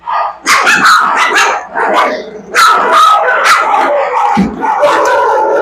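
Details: Three-week-old puppies bark and growl at a person in an echoing kennel, while excitable adult kennel dogs bark loudly and continuously, their sharp barks overlapping.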